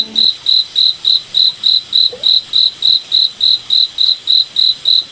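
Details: Forest cricket at night, sounding a clear, high-pitched chirp repeated evenly about every quarter second against soft background noise.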